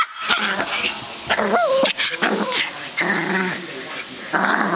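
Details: Pomeranian puppy going crazy indoors, letting out high rising-and-falling yips and whines mixed with short growly barks in quick bursts, with loud scuffling and clattering noises between calls.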